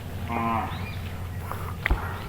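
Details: In a forest, with many cattle gathered and others still calling to each other, one cow gives a short, deep, harmonic moo of about half a second, with low rumbling background and a brief knock near the end.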